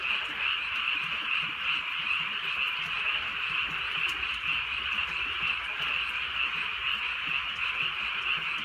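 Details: Frog chorus in gentle night rain in rural land: high rattling croaks pulse about twice a second over a constant murmur of other calling frogs.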